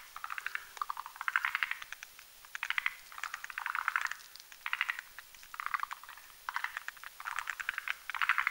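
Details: At night above a marshy mountain pond, male and female Rhacophorus arboreus croak as they build a sponge-like foam nest; grouped rattles of fast clicks repeat about every second, overlapping from multiple frogs.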